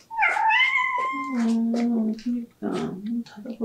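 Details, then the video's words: Domestic cat making a pleading, drawn-out meow, a sound it gives about once a day, often in front of closed doors; a long wavering whine gliding down into a low drawn moan, followed by shorter throaty mews. "간절한 고양이의 울음소리"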